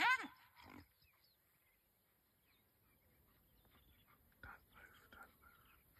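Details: Brown hyenas fighting, seen on a bush walk, give loud, strained squealing yelps, followed by quieter murmuring human voices.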